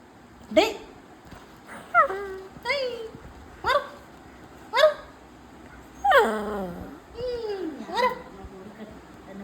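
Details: Beagle that has taken over a bean bag, making repeated yelping whines and whimpers, each falling in pitch, every second or two, with a person speaking Malayalam nearby.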